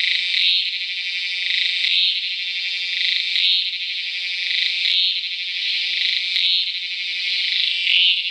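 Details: Cicada Tacua speciosa recorded calling in Peninsular Malaysia, 11 May 2014. Its intense shrill buzz runs without a break, rising in regular louder surges about every second and a half.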